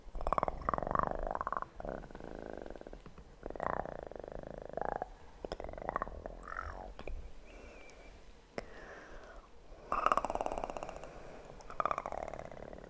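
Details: Kitten purr for a sleep ASMR session: an even, deep vibrating rumble beneath louder bursts of scratching, rustling and tapping, with a faint whisper-like sound partway through.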